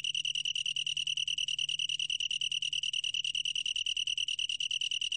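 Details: A long-tailed tree cricket keeps up a bright, ringing chirping trill, fast regular pulses on one high pure note without pause; quiet low-pitched hum beneath.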